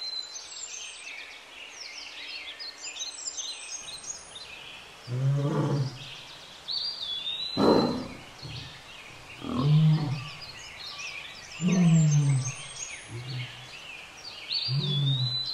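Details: Wild lions, a mating pair, at Lake Nakuru in Kenya: deep moaning growls repeated every two to three seconds, low and rasping, with birds chirping and whistling high above throughout.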